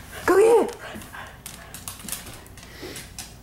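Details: Pet dogs at play in a living room at night, a regular evening playtime at home; one short tonal yelp rises then drops within half a second, followed by faint scuffling, soft patter and quiet indoor room noise.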